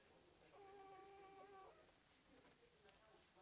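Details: Two-day-old Labrador Retriever puppies: one steady, drawn-out whine with stacked harmonics lasting about a second, then faint softer whimpers over a quiet indoor hiss.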